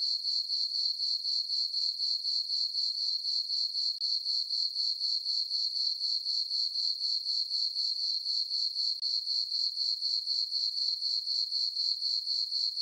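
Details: Meadow crickets on a farm at night in summer under a full moon, their shrill chirping pulsing evenly at roughly four beats per second, a constant high-pitched texture with no other sounds.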